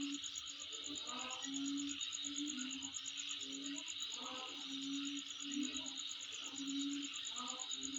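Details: Insect at the recordist's home giving a continuous high shrill buzz topped by a rapid, regular ticking trill; short low hooting tones and faint broken rising notes sound at intervals beneath the steady drone.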